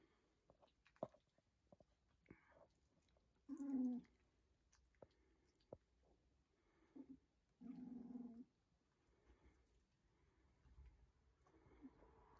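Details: Two-week-old Rhodesian Ridgeback puppies from the M litter born 10.08.2021: two short, low, rumbling growls of about half a second each, near four and eight seconds, with soft clicks, scuffling and chewing-like noises between them indoors.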